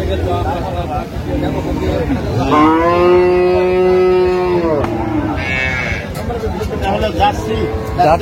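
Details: Improved-breed dairy cow at Aftabganj cattle market, Dinajpur, 17 June 2025; a long steady moo of about two seconds with rich harmonics, followed by a shorter low, over crowd chatter.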